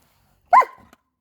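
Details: German Shepherd waiting for its owner to come home, giving one sharp, bright bark that falls quickly and trails off into a short tail, in a quiet indoor space.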